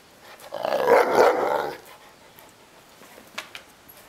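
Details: Mastino Napoletano, a Neapolitan Mastiff, grumbling in protest as it wants to play: one drawn-out, throaty growling outburst lasting about a second, followed by quiet with a few soft clicks.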